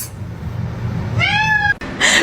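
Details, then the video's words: Domestic cat scolded by its owner for eating her plants; one clear harmonic meow that rises slightly then falls, lasting about half a second, with a woman's voice before and after and low room hum. "cats meowing"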